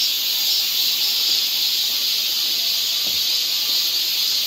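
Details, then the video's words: Korean summer forest near Seoul, where cicadas sing as a constant sizzling high buzz that holds steady for the whole stretch, with a faint soft knock partway through. "cicada sound"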